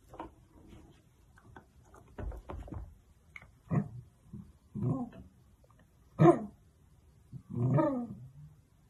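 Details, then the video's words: Indoor dachshund giving a series of low, rough growls and grunting huffs at irregular intervals, with one sharper bark-like burst in the middle and a longer rumbling growl to close. "Funny sausage dachshund dogs"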